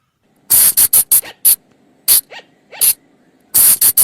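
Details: Night lure call of the flying lemur from forest: a rapid series of loud, sharp, hissing shrieks, then two soft arched squeaks and a lone shriek, before another fast cluster of three piercing bursts.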